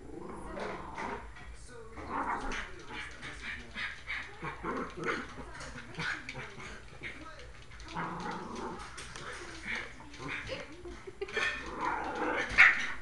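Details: A puppy and a small dog play-fighting. Continuous scuffling growls and whiny, throaty grumbles rise and fall, busiest in the opening seconds and again near the end. Soft rustling fills the spaces between.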